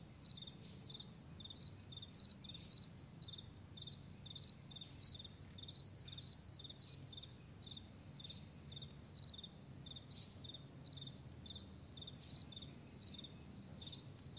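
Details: Meadow crickets in the morning giving rapid, evenly spaced high chirps in short trains, a few louder whooshing chirps standing out, against a continuous deep background drone.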